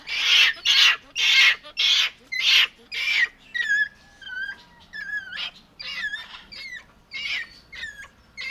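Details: Capuchin monkey starting with a run of loud rasping screams, then shifting to quieter whistled chirps that slide downward, repeated at an uneven pace over a faint low background hum.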